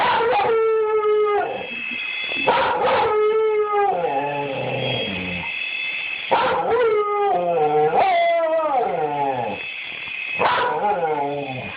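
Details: A domestic dog cries out at a toy helicopter in a run of long, wavering howls and yips, rising and falling, about five bouts with brief gaps, while a faint high motor hum runs beneath.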